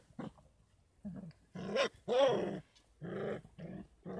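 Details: Kangal puppies aged 33 days on a dog farm, supplemented with goat milk and baby formula; rough growly whines and squeaky yelps in quick bursts, one rising and falling in pitch, separated by short silences.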